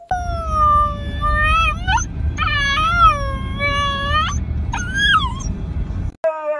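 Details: Siberian Husky howling in long, sustained, wavering tones with a bright harmonic ring, broken into several drawn-out notes that bend slightly up at their ends, over a low rumbling background.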